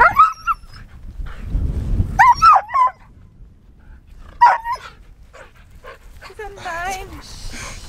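A husky gives short, wavering howls that rise and fall, mixed with whimpers and a person's voice.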